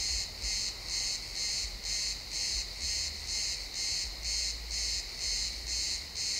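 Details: Crickets in a pine forest at sunset keep up a rhythmic high chirping, about two bursts per second, each ringing and buzzy, with intermittent low rumbling behind them.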